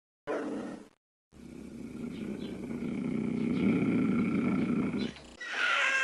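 A cougar gives a long, raspy, throaty growl that swells and holds for several seconds.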